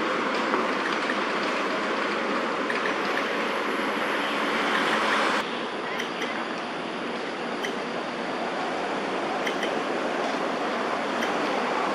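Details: Steady broadband city rumble like traffic or a passing train, with no animal calls standing out.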